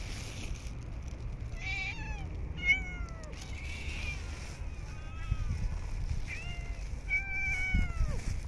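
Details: Homeless street cats fed during a cold snowy winter. About six clear meows in quick succession, each sliding downward at the end and some overlapping, with a low background rumble.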